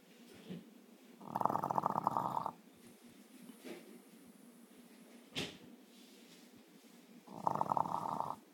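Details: French Bulldog asleep with a bone in his mouth, recorded on an iPhone, snoring: two long raspy, rattling inhalation snores about a second each, separated by quieter breathing and a soft click.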